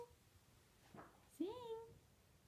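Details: Yorkshire terrier named Josie singing on cue indoors: a single short, whining note that swoops upward and then holds level, after a faint breathy sound. The room is otherwise quiet.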